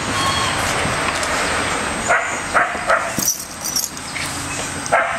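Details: Three playing dogs, an American Staffordshire terrier named Bella, a red heeler pup named Orson and a Border Collie named Patches, let out a run of five sharp, bright barks in the second half, with constant low rumble beneath.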